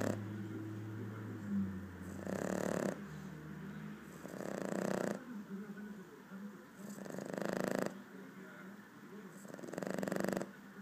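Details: A four-month-old Boston Terrier snores in slow, rasping breaths, each lasting about a second; Boston Terrier.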